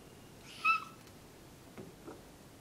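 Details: Domestic cat named Jeice, who likes to "talk" when his owner comes near him; a single short, high, clear meow-like chirp with a bright harmonic, followed by two faint soft sounds in a quiet indoor setting.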